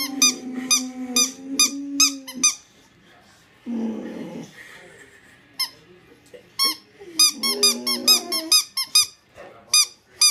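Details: A Boxer puffs out its cheeks and gives drawn-out, wavering whining vocalizations on hearing a squeaky toy, which squeaks sharply again and again.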